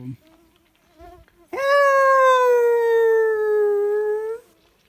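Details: Wolf from a pack called in by a hunter at a high mountain lake near a den with pups: one sustained, smooth howl lasting about three seconds, holding a steady pitch that sags slightly then lifts at the end, after faint murmured voices.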